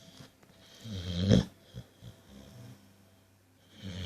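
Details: A pet dog asleep indoors, snoring in low, rough, breathy rasps, with one louder snorting snore about a second in and softer, uneven snores after it.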